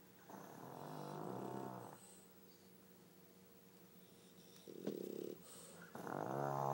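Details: Duet of snoring from a sleeping pug alongside a French bulldog at home; long rumbling inhalations with harsh, rattling texture, a quiet gap, then shorter snorts and a final loud snore.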